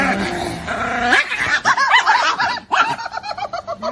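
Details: Pet Chihuahua Niki letting out a rapid run of short, high yips, several per second after a brief human voice, the bursts uneven in spacing and loudness.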